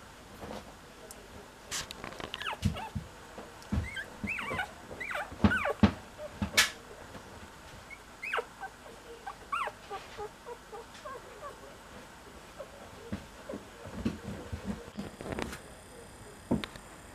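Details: Young Cocker Spaniel searching for its littermates, whining in frequent short, wavering high-pitched whimpers and yelps, some clustered closely together, among occasional clicks and handling thumps.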